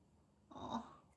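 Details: Maine Coon cat from Sweden giving a single short call indoors, a soft mid-pitched meow lasting about half a second, with quiet speech nearby.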